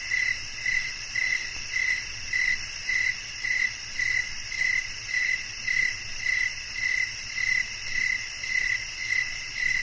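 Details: Cricket chirping, sharp short pulses near one pitch repeated roughly twice a second in a steady rhythm, over a constant high shimmering insect drone.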